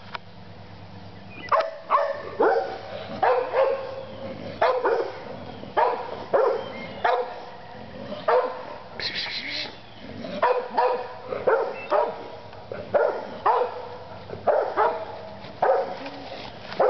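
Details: Dog barking in repeated short, sharp bursts, about one or two each second, with a few rapid double barks and a steady low hum underneath.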